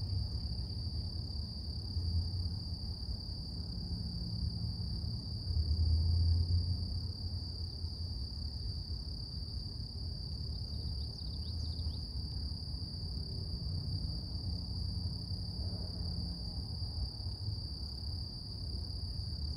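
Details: Cicadas humming through a calm morning, a long steady high-pitched whine continuing without a break, faint short chirps near the middle, and low rumbling noise swelling briefly early on.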